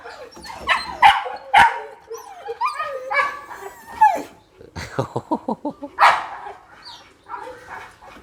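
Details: Mother red-nose pit bull with her pups: repeated loud barks mixed with high whimpers and a quick string of short yaps in the middle, sounding excited and uneven throughout.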